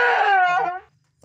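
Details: Domestic goat on a farm during hoof trimming of its overgrown hooves; one loud, strained, harmonic-rich bleat lasting almost a second, slightly falling in pitch, then a soft knock in the quiet that follows.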